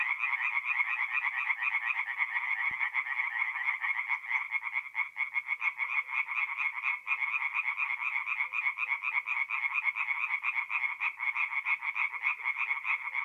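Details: Night chorus of tree frogs at a forest pond, north-east Italy, mid-April: many callers produce fast, grating trains of pulses that blend into an unbroken wall of sound, with a single faint click early on.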